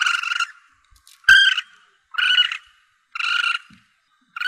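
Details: Young Asian palm civet calling, used by hunters to attract the animal: about five rapid buzzy squalls, nearly one per second, with a sharp click near the start.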